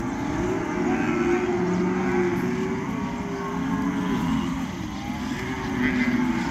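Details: Young cattle in open farmland call again and again with sustained lowing moos of varied pitch, while a continuous engine hum runs underneath.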